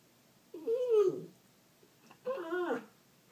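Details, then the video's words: Dog indoors, apparently frustrated while playing with a squeaky bird toy it cannot get the squeaker out of, making two unusual drawn-out whining cries, each wavering and slightly falling, about a second apart. "Dog makes some crazy noises!"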